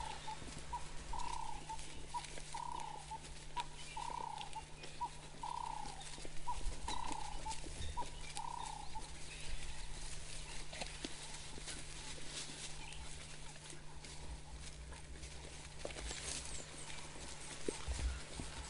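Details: African wild dog pups with bulging tummies at a carcass give gentle whines to displace the adults and take over the kill. A run of short tonal whines, roughly eight, repeats for nine seconds. Low rumbling fills the rest.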